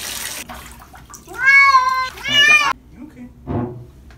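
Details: Male Norwegian Forest Cat meowing during a bath at home: two drawn-out, slightly wavering meows in quick succession, the second briefly rising, followed by quiet and a faint soft noise.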